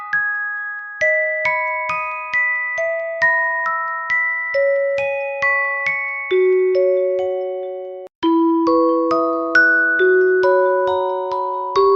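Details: A glockenspiel melody of struck, ringing notes plays at a lullaby pace, pausing briefly near eight seconds, with no animal sound heard.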